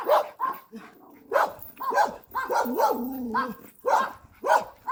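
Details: Puppy out on a walk letting out short, clipped barks in loose bursts, with human speech filling the gaps between them.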